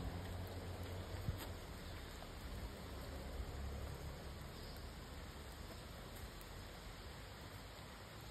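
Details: Steady broadband rushing noise like wind or running water, with no animal calls heard.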